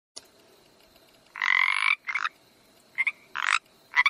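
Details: Frog croaking in a few separate rough bursts, one long harsh buzz lasting over half a second followed by shorter grating pulses, with quiet gaps between them.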